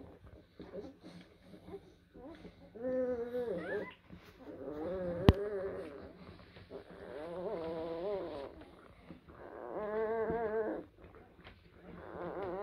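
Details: Blue Great Dane puppies from litters born in April 2023 at a kennel, heard indoors giving drawn-out, wavering whines and grunts in several bursts of a second or two, with a sharp click midway and a low background hum.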